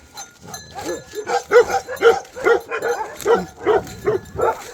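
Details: Bhote Kukur named Tiger in Nepal barks steadily, about two to three barks per second, rising in loudness, a warning it gives only when leopards, wild boars or other dangerous wild animals come close.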